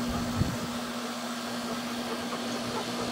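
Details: Loud, even mechanical roar like a fan or vacuum cleaner, with a steady low hum and one brief thump near the start; no animal sound is heard.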